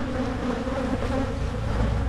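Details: Brief, steady drone of honey bees at Michigan hives during splitting to head off swarming; an even, heavy buzz with a low rumble beneath.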